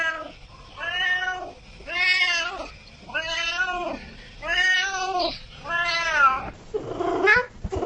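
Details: A cat meows steadily, each call arched and about half a second long, spaced around one second apart, with a final harsher, broken cry.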